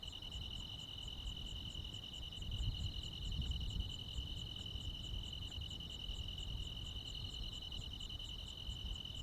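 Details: Midsummer night chorus of crickets and other insects in the countryside: an unbroken shrill two-toned trill with a thin, quickly ticking pulse train above it, set against a soft low outdoor rumble that swells briefly near the middle.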